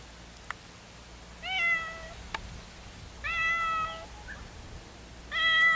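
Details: Meows from two separated cats calling to one another: three steady, level meows roughly two seconds apart, softer against a hissy background with a few faint clicks.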